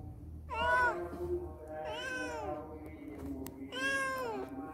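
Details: Cat at a house where many cats came and left after a day or two. Three clear, drawn-out meows, each swelling then dropping in pitch, spaced about one and a half seconds apart over a faint steady low tone.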